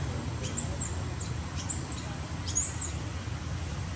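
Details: Baby monkey Batton, hungry and crying hard for milk until old mother Butter feeds him: thin, very high arched squeals, about four in four seconds, over a steady low rumble.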